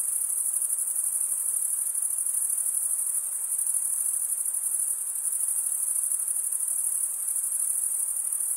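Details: Steady high, thin trilling of crickets, produced as males scrape a serrated wing vein with the other wing; the pulsing shrill tone runs unbroken the whole time over a faint hiss.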